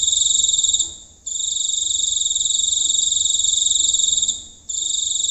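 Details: Giant cricket recorded close up at night in the countryside: a loud, buzzy, rapidly pulsed high trill that runs steadily, then breaks off once for a short pause before resuming.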